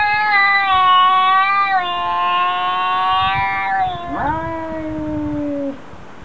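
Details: One long, sustained cat yowl, held nearly level, then sagging and sliding lower into a drawn-out, descending moan as cats argue.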